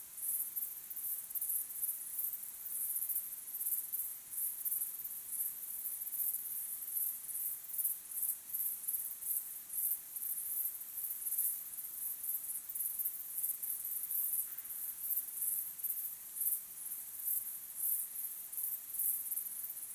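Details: Evening crickets at sunset, natural sound: thin, very high chirps pulsing steadily and quickly, a layered insect chorus, with one brief faint mid-pitched sound near the end.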